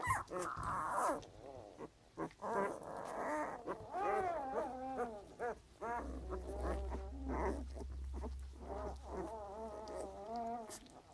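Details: Puppy making a run of squeaky, harmonic grunts and whiny murmurs, irregular and bending up and down in pitch, with brief pauses between them and a low steady hum in the background.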